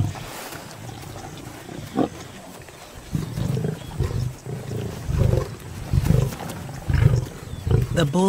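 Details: Lion from a pride in the wild, giving a run of deep, low grunts that repeat roughly once a second and grow stronger toward the end, over a steady low rumble.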